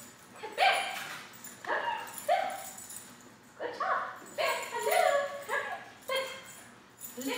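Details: Ten-month-old Poodle named Bear during off-leash dog training: a run of sharp, high yipping barks in quick bursts about every second, with a person talking between them.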